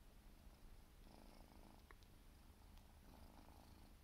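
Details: Purring from a Siberian forest cat kitten aged four months as it grooms; a low even rumble with two short patches of grooming rustle and a faint click.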